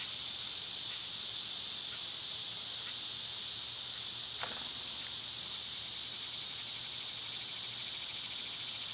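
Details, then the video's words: Summer cicadas, loud at this time of year, though recorded on one of their quieter days, hold a steady, unbroken high buzzing hiss throughout, with faint soft ticks every second or so and one brief downward swish midway. "Birds & Squirrels w/ Cicada sounds"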